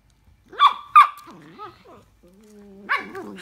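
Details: While playing with another dog, a Miniature Dachshund gives two sharp, high barks, then a run of softer whining, wavering yelps.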